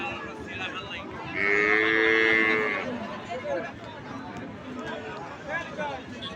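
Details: Cattle at a cattle market: one loud, steady, drawn-out moo lasting over a second, heard over constant crowd chatter and market bustle, with a fainter moo later on.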